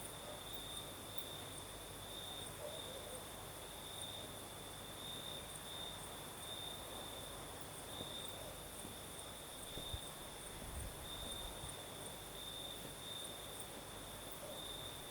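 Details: Night chorus of crickets in southern Crimea: a continuous high-pitched trill with small rhythmic pulses, a second thin trill higher up, and a constant breezy rush beneath.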